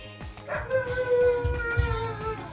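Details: A pet dog howling along in a duet with its owner singing into a microphone; a long, sustained, slightly wavering howl, with the owner's voice and music underneath.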